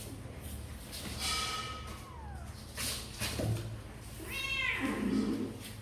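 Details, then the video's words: Kittens of Sor and Kapov, apparently wanting to come out and play, give a drawn-out falling mew, then a second rising-and-falling meow with bright harmonics a few seconds later, over steady indoor background noise. "Sor and Kapov kittens update - Looks like they really want to come out and play"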